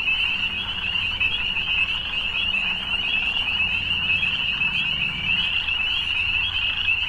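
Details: A constant wall of shrill frog trills fills the evening air, many callers overlapping into one seamless high buzz, with a quiet low murmur in the background.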